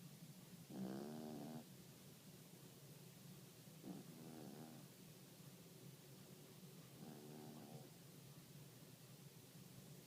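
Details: Yorkshire terrier dozing through a midday snooze, giving three soft, rasping snores spaced about three seconds apart, each a short buzzy breath with a low hum beneath, in an otherwise quiet indoor room.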